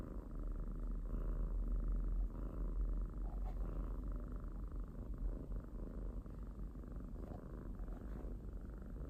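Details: Pet cat purring loudly and near, a deep throbbing rumble that swells in regular breaths, stronger in the first half, then easing to a softer buzz.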